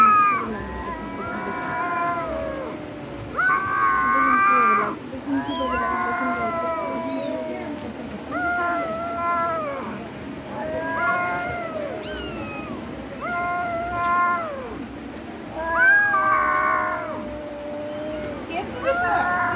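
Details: Domestic cat meowing repeatedly, a series of drawn-out, harmonic-rich meows rising and falling in pitch, roughly one every one to two seconds, with a faint background murmur.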